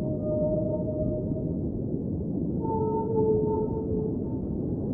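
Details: Whale singing underwater, long sustained tonal moans with stacked harmonics, one sliding slightly upward midway, over a constant deep underwater hiss.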